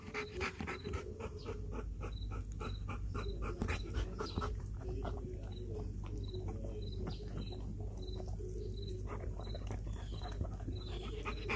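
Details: Belgian Malinois named Kayne panting heavily while eating a whole raw chicken after a good workout, close up; rapid rough breaths and chewing noises overlap, with a steady pulsed high chirping in the background.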